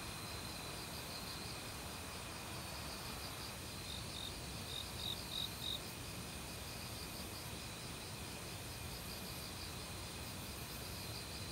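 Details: Crickets of autumn calling in woodland alongside various insects. A short burst of bright, high, rapidly repeated chirps stands out midway over a softer insect hum and the continuous rushing of a stream.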